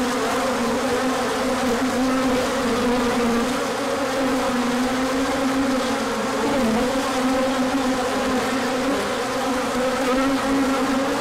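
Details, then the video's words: A large orientation flight of bees, 24 March 2024, as sunshine returned after a colder spell, with pollen coming in afterwards; loud continuous buzzing of many wings, a humming drone that slides slightly up and down. "Large Orientation Flight."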